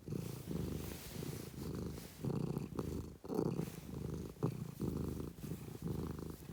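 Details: Domestic cat purring close up, a low throbbing rumble rising and falling roughly once per second with its breathing, and a few faint soft clicks.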